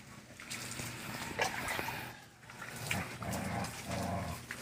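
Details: Five-month-old Aspin puppy named Toyoyong being bathed alongside his mother and a dachshund puppy; rough, whiny dog vocal bursts come in uneven pulses over a hissing, splashy background.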